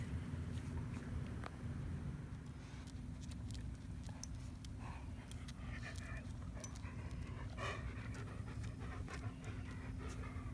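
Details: Panting from Midnight, a black former stray dog now adopted and living with two yellow Labs, heard as steady rapid breathing through low rumbling noise, with brief human speech in the background.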